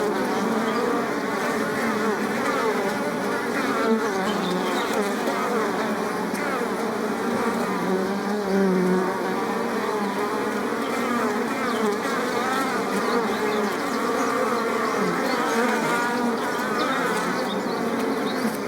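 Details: Bees and bumblebees among flowers: a dense, steady droning hum of many overlapping wingbeat tones, holding an even loudness for the whole stretch without pauses.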